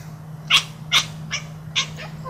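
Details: Pet cat at play, uttering a quick series of five short chirping meows spaced about half a second apart, the first two loudest, over a constant low electrical hum.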